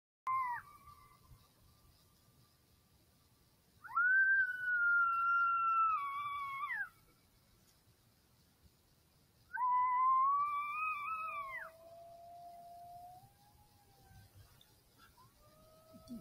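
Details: Several wild coyotes in Southwest Wisconsin howl in reply to an electronic call: long, wavering, tonal howls sliding up then falling, with bright overtones. They come in two loud bursts, with lower drawn-out notes trailing after. The background is otherwise quiet.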